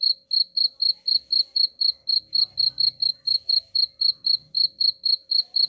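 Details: High-pitched cricket chirps for scaring off rats, evenly repeated about four times each second, with a soft low rumble in the background partway through and a faint hum throughout.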